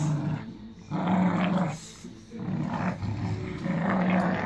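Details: Staffordshire Bull Terriers, a family group, destroying a toy together, give deep steady growls in long bouts with brief pauses, accompanied by chewing, tugging and scuffling noises.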